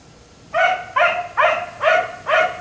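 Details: Neighbor's black Labrador retriever left outside late at night, producing five rapid, evenly spaced barks with a slightly yelping edge, each about half a second apart.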